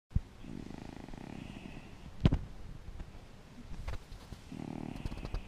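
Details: Cajsa, a dog, purring: a low, pulsing rumble in two stretches, near the start and again at the end, with sharp clicks and a brief rustle in the quieter middle.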